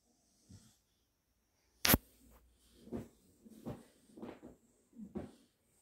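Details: French Bulldog Bluebell during a natural birth of ten puppies, three males and seven females, some breech, helped by people: short breathy grunting bursts recur about every 0.7 seconds, with one sharp click near the start.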